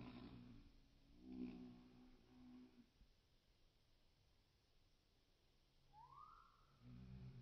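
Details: Shrill carder bee workers on an orientation flight in 2023, giving a low droning buzz with stacked harmonics that swells and fades twice, with a brief rising tone near the end.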